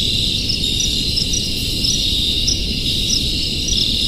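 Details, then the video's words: A dense gathering of crickets keeps up an unbroken, piercing high-pitched drone, with small chirps recurring every half second or so, above a continuous low background hum. "Crickets Sounds"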